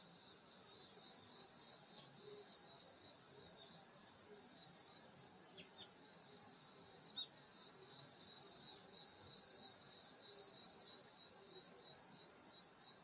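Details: Summer night insect chorus in the countryside near a grandmother's house: dense, unbroken high-pitched trilling that holds steady for the whole stretch, with a couple of faint brief clicks and no other clear sounds.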